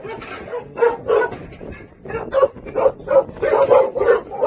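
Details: Song Baekgu brothers, Jindo dogs from a Jindo kennel, give hoarse, uneven barks about three per second, some louder and ringing, others breathy and half-swallowed.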